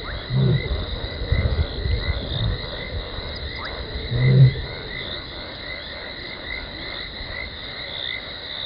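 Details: Lioness named Talamati contact calling at Gowrie dam waterhole, Djuma Game Reserve, Sabi Sand Wildtuin, South Africa, 17 December 2020, before running in; two deep, short moaning grunts about four seconds apart over a steady chorus of insects and frogs.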